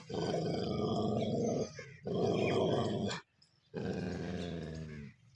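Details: Dog; growling; aggression while fighting each other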